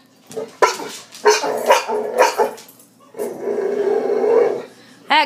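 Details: Boxer dog whose real bark sounds like hiccups after kennel cough as a pup gives a run of short, clipped hiccuping barks, then a sustained rumbling growl, ending with a sharp bark.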